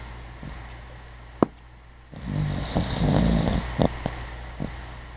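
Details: Duchess, a sleepy puppy, snoring while asleep: one long raspy breath of low rumble and airy hiss lasting nearly two seconds, with a few soft clicks and quiet intervals around it.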